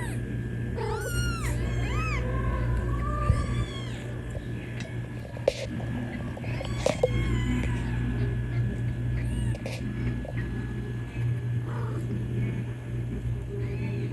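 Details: Kittens calling for their mother with loud, high meows, a quick burst of arched, wavering mews early on, then sparser calls and soft clicks over a constant low hum.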